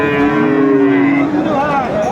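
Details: Cattle at Aftabganj market in Dinajpur, Bangladesh, on 17 April 2024, where Friesian and crossbred bull calves are sold: one steady, level moo lasting over a second, followed by men talking over market bustle.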